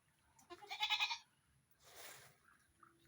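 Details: Pet goats being fed during rain: one wavering, nasal bleat lasting under a second, followed by a softer breathy noise and quiet background.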